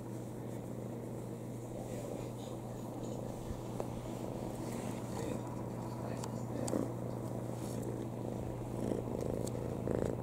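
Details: Pet cat resting on its owner's lap, purring while comfortable: continuous soft low rumble with a constant hum underneath and occasional small rustles and clicks.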